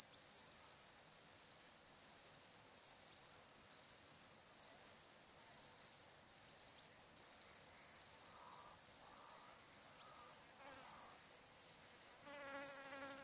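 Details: Australian crickets at sunset beside the Barcoo River in Welford National Park, Queensland outback, summer: shrill continuous chirring broken into roughly one-second pulses, with soft birdcalls near the end, one a descending warbled phrase.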